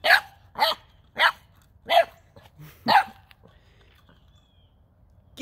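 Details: Nine-week-old male Boxer puppy barking at a toy ball he has never seen before, five short sharp barks about every 0.7 seconds, then quiet with faint room sounds and a person urging him on.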